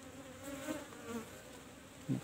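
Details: Colony of Asian honey bees in a kept hive box, number 17, as it is opened for honey harvest; a continuous humming buzz wavers slightly in pitch, ending with a knock of the box being handled.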